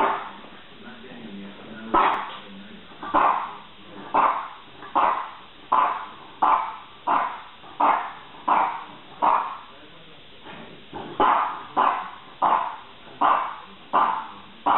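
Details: French bulldog barking in a steady series, one sharp bark roughly every second, each with a quick fade, over a faint background.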